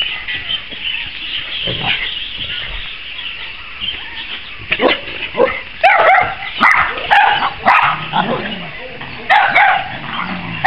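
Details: Cavalier King Charles Spaniel pack as April introduces her puppies to the other dogs. Short, sharp barks and yips arrive in quick irregular bursts, about two per second, after a quieter opening with scattered soft noises.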